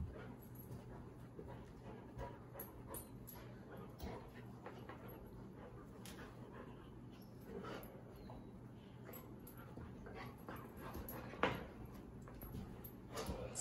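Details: Labrador Retrievers Sadie and 8-month-old Cedar (Schroeder) at play in New Mexico: quick panting breaths and soft scuffling with scattered snorts, a louder thump near the end, and a low constant hum underneath.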